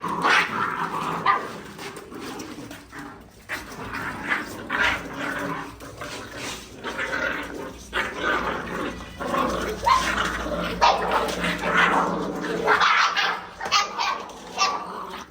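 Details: Several puppies growl, whine and yap over one another in a busy, overlapping chorus while eating, sounding angry.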